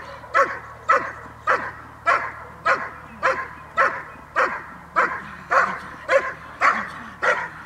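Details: Training session from 5 May 2015 with a dog barking in an even, steady rhythm, about thirteen short, punchy barks spaced a little over half a second apart, with nothing else prominent.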